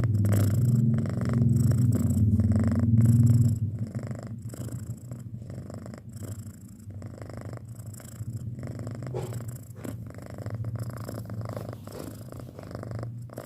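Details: Six-month-old pet cat purring indoors: a steady, low rumbling purr with a fast pulsing rhythm, loud and full for the first three and a half seconds, then softer but continuous to the end.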